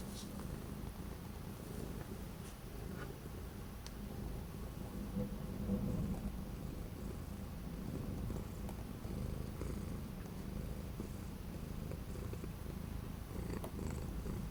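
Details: Orange cat on 12 January 2025, during a cold spell with days of strong wind that kept it from going anywhere. A continuous deep, even purr lasts the whole stretch, with only a few faint ticks over the steady throb.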